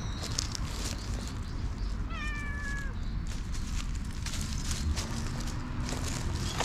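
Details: A jet-black stray cat in a park that bites while being played with gives a single drawn-out meow, falling slightly at the end, against constant low outdoor rumble and clicking handling noises.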